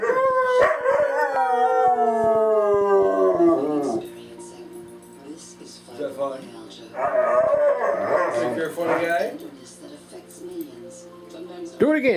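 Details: Singing dog giving a long sustained howl that slowly falls in pitch over four seconds, followed by a quieter stretch and another wavering, warbling howl, with a human voice faintly alongside.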